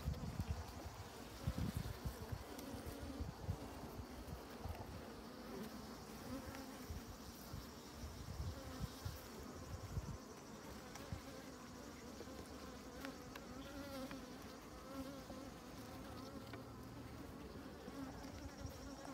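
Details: Honey bees on honeycomb with honey, a dense continuous buzzing hum of many insects with layered harmonics and shifting tones, low rumbling handling noise underneath.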